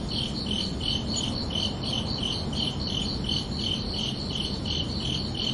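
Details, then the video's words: Summer-evening crickets at night give regular shrill chirps, about three each second, unbroken throughout, set against a steady broadband murmur in the low range. "Calming Cricket Sounds for Relaxation"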